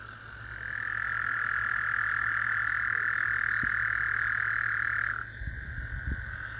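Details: A Gulf Coast toad (Incilius nebulifer) gives a long, steady, buzzing trill at one pitch for several seconds, calling in the middle of the night after recent rain, on 24 June 2024.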